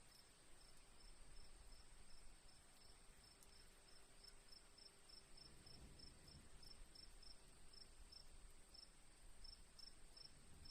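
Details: Crickets chirping: short, high, evenly spaced chirps at about three per second over a steady thin high-pitched whine, with a soft low rumble underneath.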